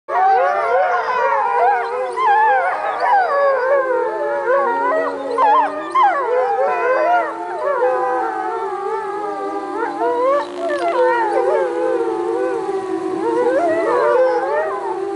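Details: Gray wolf. A pack of wolves joins in a chorus howl, many drawn-out voices sliding up and down and weaving over one another. Some hold low, steady notes while others rise and quaver above them.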